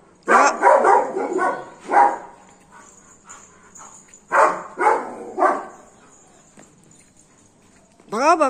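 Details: Golden Retriever named Max, a pet dog, barking aggressively at monkeys to chase them away: a quick burst of about five harsh barks, a pause, then three more spaced barks, with a brief wavering tonal voice at the end.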